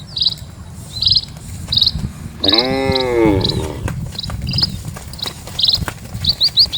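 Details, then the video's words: A cow from dozens of cattle crossing a village road. A single sustained, harmonic moo arching slightly downward in the middle of the recording. Bright bird chirps sound every half second or so, with scattered thuds and a soft background rumble. "SUARA SAPI"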